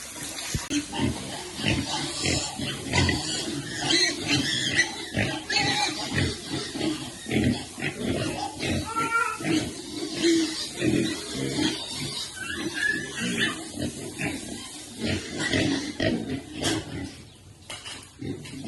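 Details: Pig nursing its piglets, heard as dense, rapid low grunting pulses that come in continuous bursts, with a person talking quietly nearby in Khmer.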